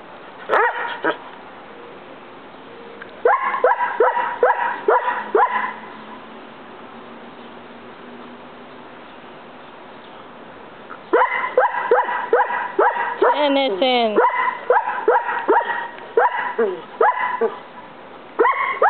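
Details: Pet Collie barking persistently at a roommate while the other dogs ignore him. Two long runs of quick, sharp barks are separated by a pause of several seconds. A brief whiny yelp is heard in the second run.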